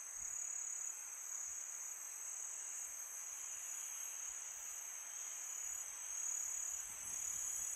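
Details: Night chorus of crickets in summer, a constant shrill ringing tone without break, layered over a gentle airy wash of wind.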